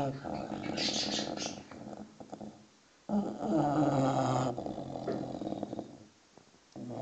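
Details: Sleeping six-month-old English bulldog puppy snoring in long, rough, rumbling breaths about a second and a half each, separated by short quiet gaps, while faint high chirps from noisy birds sound in the background.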